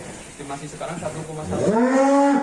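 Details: Black Angus cattle being let out of its pen in Indonesia, a long low moo that rises and swells into a loud, drawn-out bellow at the end, with people talking faintly beforehand.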